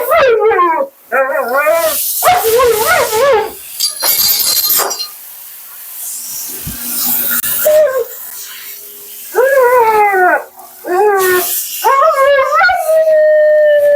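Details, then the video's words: Talkative Husky Mila, on her second-ever groom, fires off quick bursts of warbling, wavering whines and yodels, with gaps of rushing noise from bath or dryer between bouts and a held tone at the end. "Talking Husky"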